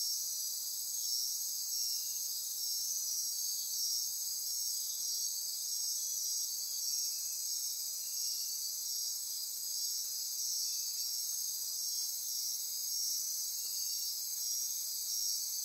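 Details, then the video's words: Insects calling after dark in lush forest near Corcovado National Park, Osa Peninsula, Costa Rica: sustained high shimmering trills and ratcheting buzz, with short fainter chirps recurring every few seconds lower down. "Midnight Insect Chorus"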